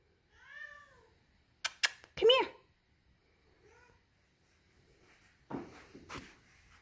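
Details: A Siamese cat gives loud, drawn-out meows from downstairs to get its owner to come down, while a person asks if it wants to go outside.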